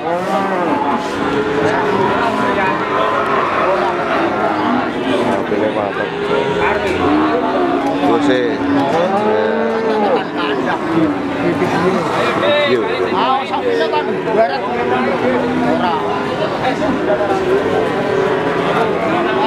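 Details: Cattle at Pasar Sapi Wagenan, a cattle market in Pati, Indonesia, on 5 March 2019; many animals mooing in overlapping, arching low calls almost without pause, over a steady hubbub of people talking.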